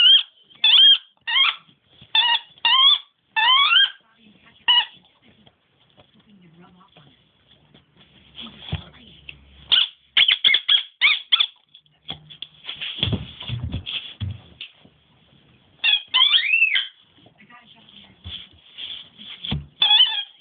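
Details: Squeaking instead of barking, Nemo the dog produces high, looping, whistle-like squeals in short spaced bursts, with softer rustling and low thuds in the middle before a final run of squeaks.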